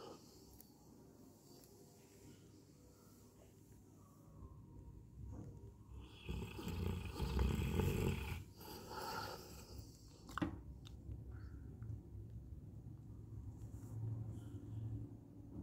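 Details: Coco, a pet Labrador Retriever, snores while asleep: a low, rough rumble runs steadily throughout, swelling louder and harsher midway, with a sharp click near the tenth second.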